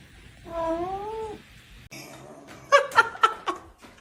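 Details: A kitten crying: one drawn-out, slightly wavering mewed note about a second long, then after a pause several short, sharp meows in quick succession, with faint background noise indoors.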